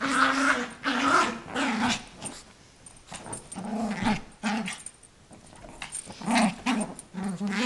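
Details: Eight-month-old female Yorkshire terrier growling indoors while playing with her toy, trying to sound scary so her owner cannot take it; throaty, rumbling growls in bursts separated by short pauses.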